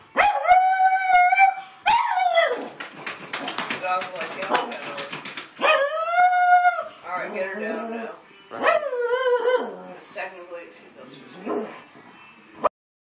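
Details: A pug barking at another dog gives high, whining yelps and drawn-out yowling barks in excited bursts, with a person talking.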